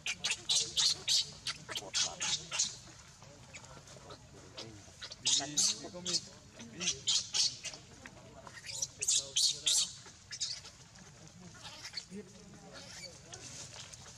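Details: Newborn baby monkey Leo, very hungry, crying to mother Libby for milk: shrill, high screeching squeals in rapid clustered bursts, with pauses between runs, over faint low murmuring voices.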